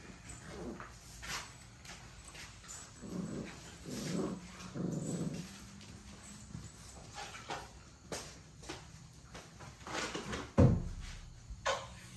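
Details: Playing puppies growling in short low bursts, mostly in the middle seconds, with scuffling, thumps and background noise around them.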